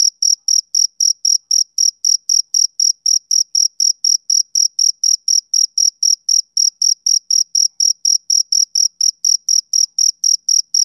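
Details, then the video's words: Steady chirping from a male cricket on a summer evening, high and piercing, repeated about three to four times a second in an unbroken rhythmic series with no other sounds. "Cricket Chirping Sound Effect"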